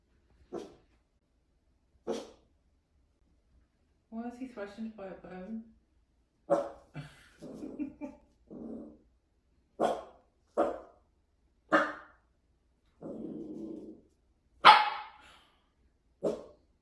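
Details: Dachshund, named Enzo, reacting to a new toy: short sharp barks spaced every second or two, mixed with quavering whiny growls and grumbles, a few human words heard between.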